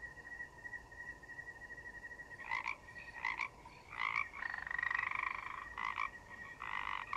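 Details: A steady high cricket chirr opens, then forest frogs start croaking, with short rasping calls spaced irregularly about a second apart and one drawn-out buzzy croak in the middle.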